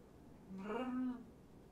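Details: Kitten indoors during a late-night visit, one of five rescue kittens from two litters surrendered in Tacoma and taken in by Purrfect Pals; a single drawn-out tonal meow lasting under a second, rising slightly then holding steady, in a quiet room.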